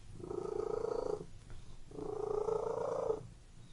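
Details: Close domestic cat purr in a room: two long, even, buzzing rumbles of about a second each, separated by a softer, quieter phase, with a faint pulsing texture throughout.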